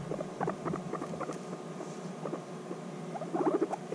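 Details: Two guinea pigs bonding after a six-month separation give bursts of short, stacked chirps in quick irregular runs, a louder cluster near the end, over soft shuffling.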